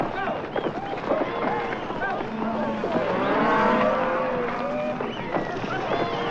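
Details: Cattle drive: a herd of cattle lowing together, with deep overlapping moos of varied pitch and length rising and falling over a constant rumble of background noise.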